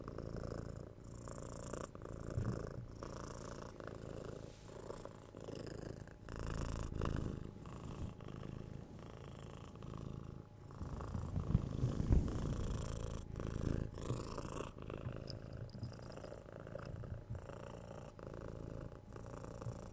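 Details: Domestic pet cat purring, recorded close up in stereo: a steady low rumbling drone that swells and eases with each breath, changing phase roughly every second, with soft higher breathy hiss over it.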